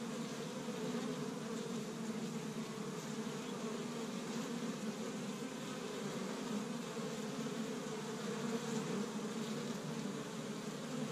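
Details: Honey bees active at an established Michigan hive on the season's first warm spring day, gathering tree-bud pollen. Sustained swarm-like hum of countless wings, steady and layered, with slight swells in loudness toward the end.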